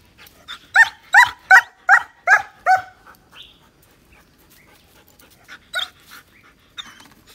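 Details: Male German Shepherd aged nine months letting out a run of six strong, evenly spaced barks, followed by quieter scattered yelps and small noises.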